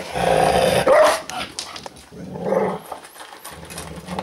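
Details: An angry dog at its food gives a loud snarling growl that ends in a sharp bark-like outburst, followed by quieter rumbling growls and chewing sounds.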